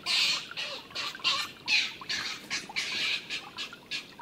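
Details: Older stone marten Milton attacking young Martin, who had ignored an earlier scolding. Short, harsh screaming squeals follow one another about twice a second, loud at first and gradually tapering.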